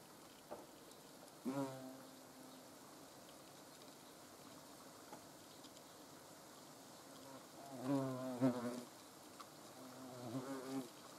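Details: Hornets in the Eifel: several short, droning buzzes with stacked harmonics as insects fly past the microphone, grouped around the second and eighth to eleventh seconds, over a quiet hiss.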